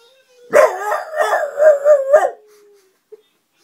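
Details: French Bulldog howling like a wolf, a short wavering howl under two seconds with several rising and dipping swells, preceded and followed by a faint steady tone.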